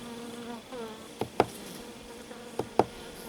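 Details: Calm honey bee colony, black bee crossed with Buckfast, buzzing inside a colonised swarm trap hive checked on 30 June 2023; steady low droning hum with a few sharp wooden taps and clicks.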